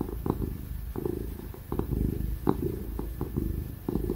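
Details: Happy ginger house cat purring as it gets pats and cuddles; deep, steady rumbling purr pulsing with each breath, occasional brief rustles of petting, and a constant faint computer fan in the background.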